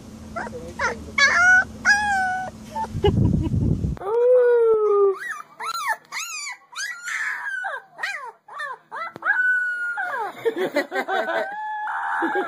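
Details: Puppies crying and howling: bursts of high whines, then a bump of noise, then a quick string of rising-and-falling yips and wavering cries, ending in a longer warbling howl.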